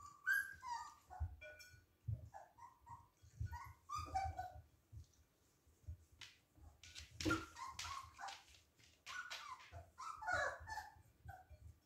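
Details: Siberian Husky puppies at play let out a string of squeaky yips, whimpers and small barks scattered over twelve seconds, with rough scuffles and bumping in between and a noisy burst of play near the end.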